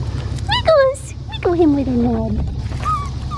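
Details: A blue merle male Australian Shepherd puppy on an Oklahoma farm cries after being disturbed while nursing. Two clear whines slide downward, one short and one longer and drawn out, followed by a faint, brief squeak above a low background hum.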